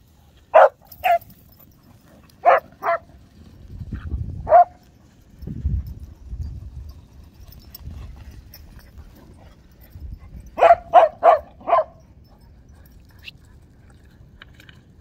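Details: Whippets and cockerpoos at play on a beach give scattered single and paired barks, then a quick burst of four barks near the end, over a low wind rumble.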